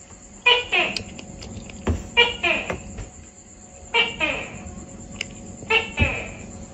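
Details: Repeated tokay gecko calls, each a sharp clipped note followed by a descending, nasal harmonic syllable, the pairs coming about every two seconds over a steady high electrical whine and faint room noise.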